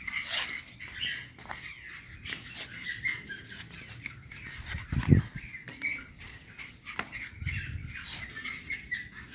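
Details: Male pug puppies, dewormed, vaccinated and paper-trained, give thin, squeaky whines and yips over soft bumps and rustling.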